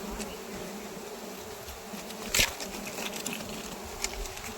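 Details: Honey bees swarming at a wild honey harvest give a constant buzzing hum, broken by a sharp knock near the middle and a few lighter taps.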